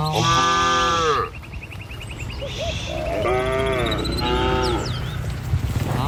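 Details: Village cattle herded along a rural road to their pen, morning or evening: a strong, full moo opens, followed by two fainter, shorter lowing calls over a low rumble of background noise.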